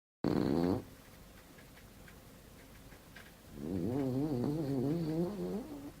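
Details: French bulldog snoring: a loud wavering snort at the start, then a quiet gap, then a long rattling, wobbling snore breath from about three and a half seconds on.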